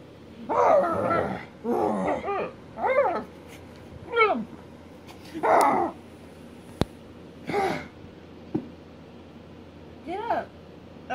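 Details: Boxer dogs play fighting: a series of short growling, grumbling vocal bursts, some with rising-falling whine-like tones, spaced about one to two seconds apart, with occasional clicks.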